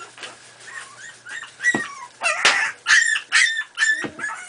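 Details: Miniature Pinscher puppies, four and a half weeks old, playing together. A run of high, sharp, squeaky yips and barks comes in quick bursts, about twice a second, with some higher squeals mixed in.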